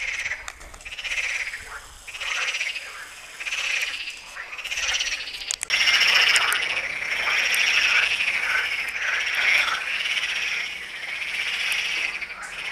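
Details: Lebanese frog chorus recorded at the Tyre Necropolis, a steady wall of harsh pulsed croaking from many frogs, growing louder and denser after the first few seconds, with short clicks mixed in.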